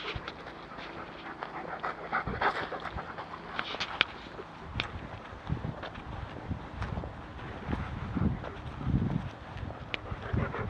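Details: Panting German Shepherd out walking in woodland, breaths irregular and partly masked by crunching footsteps and low rumbling background noise.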